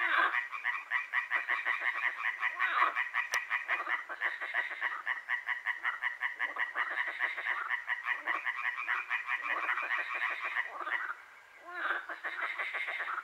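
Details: Frogs croaking on a night in Hłomcza, Sanok commune, Poland: a steady, dense chorus of fast pulsed rattling croaks, a single sharp click early on and a short lull near eleven seconds.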